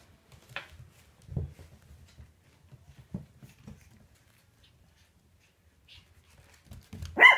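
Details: Eight-week-old Shih Tzu puppies, four left from a litter of seven, playing together: scattered soft low thumps and scuffles, then one sharp, bright bark bursting out near the end.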